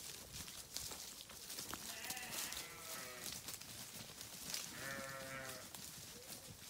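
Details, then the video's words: Sheep bleats, two trembling calls midway, heard through strong broadband rustling or wind noise. "Sheep Videos 🐏 Sheep Sounds"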